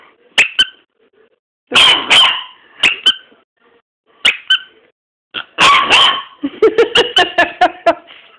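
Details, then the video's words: Dog's first barking, indoors: high yapping barks in pairs, then a longer burst and a rapid run of sharp yips at the end. "Bostons 1st bark"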